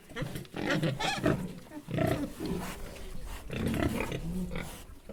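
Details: Three pigs grunt and snort in low, rough bursts that overlap one another.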